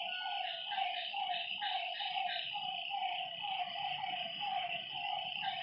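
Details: Frogs calling at night by a lake: short nasal notes repeated about twice a second in an overlapping chorus, over a steady high insect-like drone.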